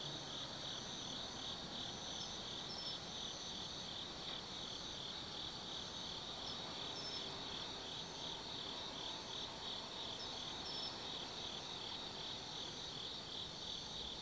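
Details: Autumn insects calling after dark in the woods of Tsukimi no Mori, Gifu Prefecture, Japan, from a hilltop 180 m over the Nobi Plain lights: continuous shrill pulsing trills, occasional higher chirps breaking through, and a soft distant low rumble.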